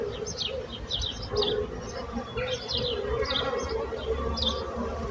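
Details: Bees buzzing as a steady low hum with overtones, while small birds chirp in short high bursts throughout.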